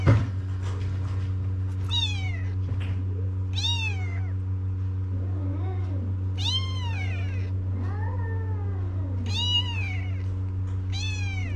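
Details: Homeless kittens on a Moroccan street call for Mama the Cat to nurse them. Shrill, bent meows repeat roughly every one to two seconds, some rising then falling, with a constant low hum underneath.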